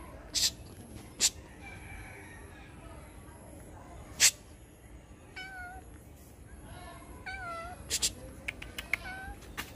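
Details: Cat stuck up in a tree, a few faint, drawn-out meows bending in pitch in the second half, over steady background hiss and several sharp clicks.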